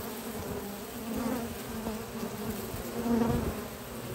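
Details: Spring foraging honey bees carrying pollen into their hive at a research lab in the morning; continuous low humming drone, swelling slightly louder near the end, with many overlapping wingbeats.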